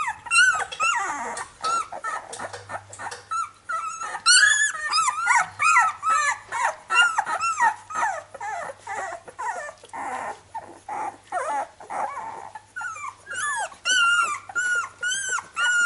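Labrador Retriever puppies whine and yelp in a busy chorus of high, wavering cries.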